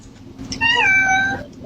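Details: Cat shut inside a kennel giving a clear, insistent meow that rises briefly then holds and falls slowly, with a soft hum behind and people talking around it.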